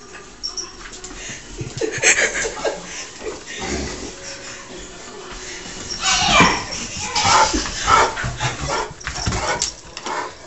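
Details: Indoor squabble as pet dog Taz picks on Sky the cat, then runs off: broken, uneven yelps, whines and short barks scattered over ten seconds, with scuffling and household noise between them.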